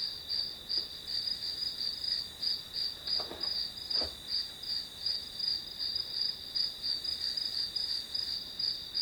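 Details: High, even chirps of grass insects used as a study soundtrack, pulsing steadily about three times each second above a constant shrill band, with a couple of soft taps.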